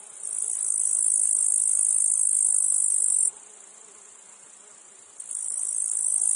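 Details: Meadow cicadas, with flies also present: a strident high buzz held for about three seconds, then a sudden drop to a low hum. About two seconds later the loud drone resumes and builds again.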